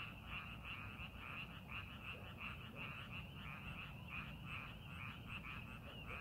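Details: A dense chorus of frogs in a rice paddy being prepared for farming, with many overlapping rapid croaks pulsing steadily, several each second.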